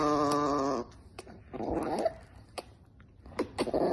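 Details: Chihuahua puppy making a short tonal whine, then low, rough grumbling growls broken by faint clicks and taps.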